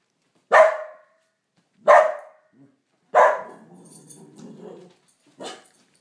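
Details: A Pharaoh Hound gives four sharp, loud barks spaced about a second or two apart, barking at and scaring the neighbors.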